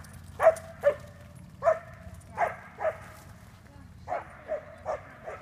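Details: Puppy barking while chasing: sharp, fairly high barks about every half second in two short runs with a pause between, over low background rumble.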